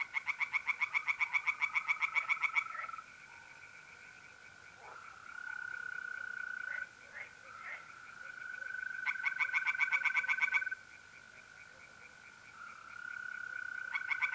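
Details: Tree frogs singing in a pond by night in mid-April, north-east Italy: bursts of rapid, harsh, evenly pulsed croaks, each lasting about two seconds, alternate with the steady unbroken trill of mole crickets.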